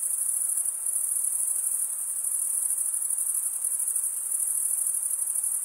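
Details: Crickets chirping at night in a summer forest: a dense, unbroken, very high shrill trill holding steady throughout, with a soft, faint hiss underneath and no other clear sounds.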